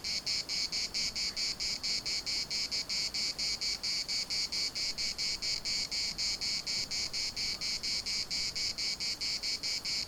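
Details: Cicadas in Larnaca's municipal park, Cyprus, producing a dense metallic buzzing, pulsed evenly and rapidly for the whole stretch, high in pitch and steady in loudness.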